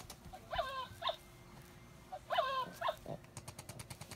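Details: Cavalier King Charles Spaniel playing and showing jealousy, giving two pairs of short high whining whimpers with bent, wavering tones, then faint clicking and rustle near the end.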